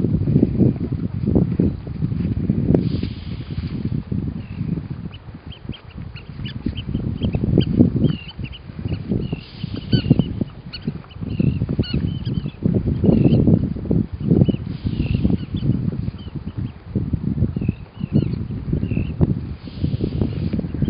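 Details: Weddell seal vocalizing in its sleep on Ronge Island, Antarctica: deep throaty grunts pulse in steady bursts about every second, with faint higher chirping sounds scattered above.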